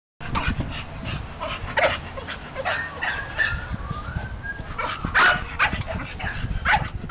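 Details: American Bully dog barking in a busy setting: a series of short, sharp barks scattered through the recording, with people talking and thin whistled chirps in the background.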